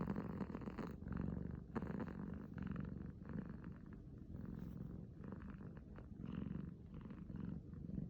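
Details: Steady, throaty purring by Uiro, a male kitten aged six months, after waking from sleep, the rumble rising and falling in even cycles about once a second.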